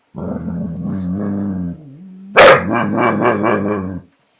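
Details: American Bulldog scared of a border collie over his bottle gives a sustained low growl that trails off, then a sudden sharp bark-like burst followed by a pulsing, wobbling growl.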